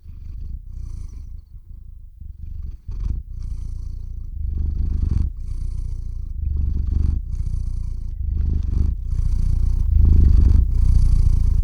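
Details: Domestic cat purring into a close microphone while falling asleep indoors, recorded with a shotgun mic and field recorder; low rumbling purr starts soft and grows louder, pulsing in breath-length phrases with brief pauses between inhale and exhale.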